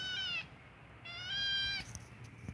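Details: Oscar, a little kitten, meowing when he has to poop: two high, clear, slightly falling meows, the second longer, while a person asks what is the matter and urges him toward the potty.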